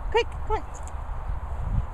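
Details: Four dogs playing together, Beagle Jasper, Labrador Ceaser, Poodle Syd and Setter Otis, at kennels in Worcestershire countryside: two quick, high, yelping barks less than half a second apart, then a man's voice calling to the dogs.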